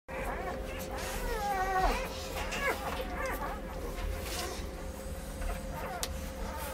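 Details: A litter of Bracco Italiano puppies from Anzio, Mirta's F litter, crying together: overlapping thin whines and squeaks that rise and fall in pitch, a steady chorus of many small voices with constant background murmur.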